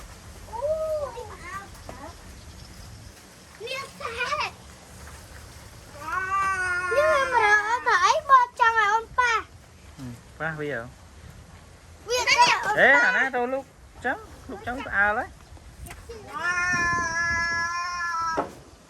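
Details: Many young calves penned together in a rural cattle shed, crying for their absent mothers. Long, strained, harmonic bawls rise and bend, coming in bursts separated by short pauses. Voices talk in between.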